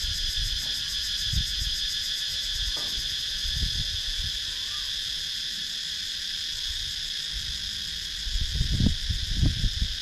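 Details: Cicada sound in a wooded rural area of Sakon Nakhon, Thailand, taken with a GoPro Hero 9: a steady, piercing multi-band buzz, pulsed at its top, with scattered low knocks growing busier near the end.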